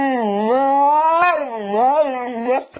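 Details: Pet dog "talking" to its owner indoors: one long continuous howling-whine, wavering up and down in pitch with rich harmonics, ending abruptly with a small click.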